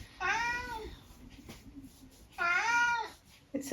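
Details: Eric, a chatty senior tabby mix cat at home in the UK, talks with two long, drawn-out harmonic meows about two seconds apart, the second slightly rising then falling, with quiet room noise between.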